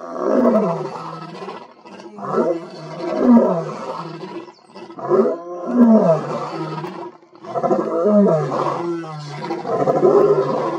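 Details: A male lion roars with full intensity in deep, rasping bursts, each about two seconds long with short pauses, breath steaming; two other males in the background also roar.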